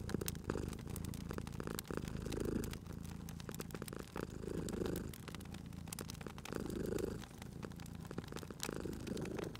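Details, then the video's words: Cute sleeping cat purring beside a crackling fire in a cozy spring setting. A deep, throaty purr rises and fades in slow breath cycles, with brighter swells near every second or two, over steady snapping and popping from the fireplace. "Cute Purring Cat at a Crackling Fireplace"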